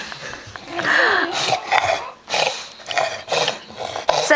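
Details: Dog, indoors, upset because he cannot be with a female dog he loves: a short rising whine, then breathy, broken vocal bursts, while a person talks to him.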